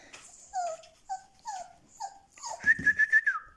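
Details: Black-and-white male Siberian Husky puppy, born 7 October 2020 at a Moscow kennel, nervous and trembling while filmed in November: a series of short descending whimpers, then a higher, wavering whine, rising near the end.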